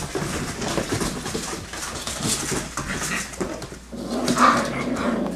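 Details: Six-week-old yellow and black Labrador Retriever puppies running and playing together; rough, noisy low growls and scuffling with a brief higher whine near the end.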